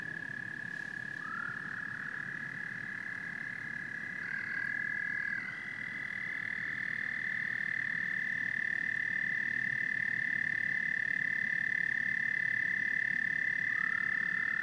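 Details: Frogs and toads in a continuous chorus: a sustained high drone with short rising calls, growing louder after an abrupt change midway, over a low rumbling background.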